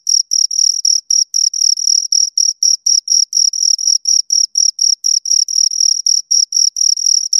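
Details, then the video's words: Pair of crickets giving quick repeated chirps, each a brief high-pitched trill with a fainter higher overtone, pulsing roughly four times a second in an otherwise silent background. "Two Crickets Chirp Sounds"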